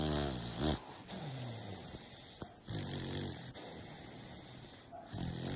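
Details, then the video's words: Jagger, an American Bully, snoring loudly while asleep; low harmonic snores rise and fall in a few breaths over a steady background hiss, with one sharp click in the middle. "Jagger the American bully # Snoring while sleeping #so loud"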